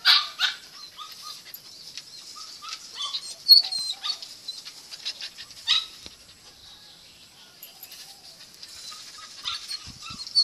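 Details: A male Thai Bangkaew dog gives soft, high whimpers and brief yelps against a hissy background.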